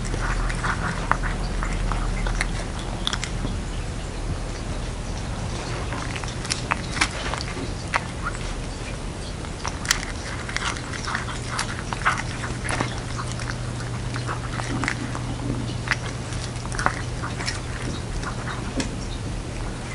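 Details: Domestic cat Jeongsaek, wearing hanbok for Lunar New Year, eats a dumpling-soup treat indoors; a long run of quick, dense lapping and chewing clicks at fairly even loudness, with a steady low hum throughout.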